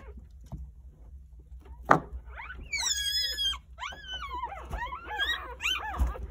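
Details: Newborn Jindo puppies, three days old and nine in the litter, give high, thin squeals that rise and fall in quick, wavering bursts as their mother comes in to cover them all.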